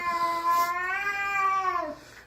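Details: A cat standing guard on indoor stairs, keeping its owner from coming down, gives one steady, drawn-out yowl, level and tonal, sagging lower and fading at the end.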